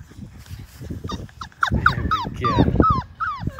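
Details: Labrador Retriever puppies aged five weeks, from a litter of six, trying a dip in a baby pool of water; a burst of rapid high yips and falling whines over splashing and bumping sounds.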